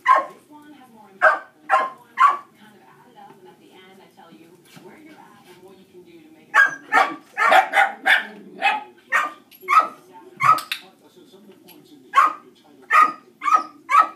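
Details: Distracting barking from other dogs during a shaping training session with a dog that reacts to other dogs. Loud, sharp barks come in clusters, with bursts repeated in quick runs and pauses between, over a woman's quiet praise and instructions.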